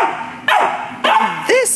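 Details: A Border Collie puppy at the Atlanta Humane Society, awaiting adoption, gives three short sharp barks about half a second apart, the last a higher arching yelp.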